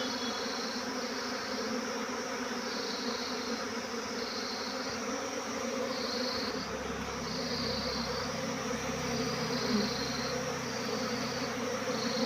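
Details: Many honey bees swarming create a constant, full-bodied buzz that holds steady. A low rumbling background rises in the second half.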